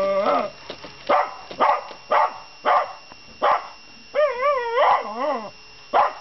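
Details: Miniature Schnauzer, a pet dog that rarely barks, reacting vocally to a Mr Money robot coin bank: sharp barks about every half second, then wavering, yodelling whine-howls with clear harmonics, and one final bark.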